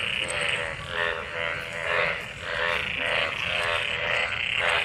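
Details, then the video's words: Frogs calling in rain-gathered water after a monsoon downpour during mating; overlapping nasal croaks swell and fade in bursts roughly every second, with a low rumbling background beneath. "Frog Sounds after monsoon rain,Sounds of toad Croak croak ! frog mating and love in rain"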